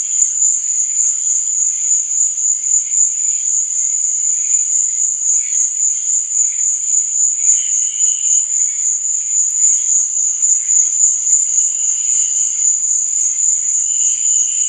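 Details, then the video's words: Crickets at night producing an unbroken high-pitched ringing trill, its loudness rising and falling about three to four times per second, with scattered quieter lower chirps in the background. "Cricket Sound"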